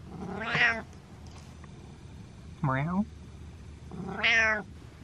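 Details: Domestic cat meowing indoors as if telling its owner off: three short harmonic meows about 1.5 seconds apart, the middle one rising sharply, with a quiet room hum behind.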